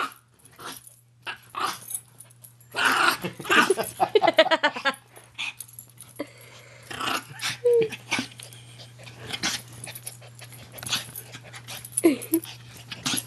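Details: Two Maltese dogs play fighting inside, with a dense run of rasping growls and snarls in the middle, then scattered shorter grumbles, a steady low hum and a person's voice at times.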